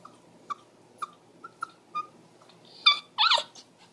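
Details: Pomeranian and Shih Tzu mix female dog indoors, worried because her owner stepped outside, giving a series of short high whimpers about every half second, then two louder, longer quavering whines near the end.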